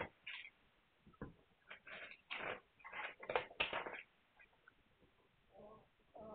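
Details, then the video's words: Young Hungarian Vizsla pups, 9 March 2021, let out quick high yelps and mewing whines in a rapid cluster, then a couple of softer, lower moans toward the end. "Magyar Vizsla Welpen"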